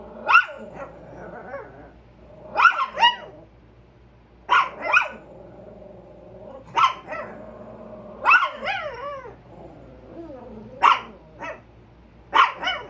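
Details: Two Chihuahuas on alert barking at a squirrel give sharp, high-pitched barks in quick pairs and bursts, spaced a couple of seconds apart.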